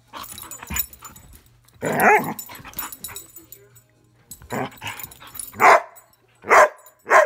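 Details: Playful Airedale Terrier indoors, barking and growling during a game; rough, noisy vocal bursts early on, then three loud clear barks near the end spaced under a second apart, over a steady low hum.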